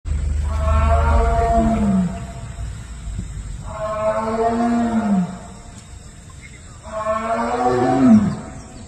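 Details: A tiger in the Tadoba buffer zone gives three deep, moaning calls, each about a second and a half long, to summon its cubs.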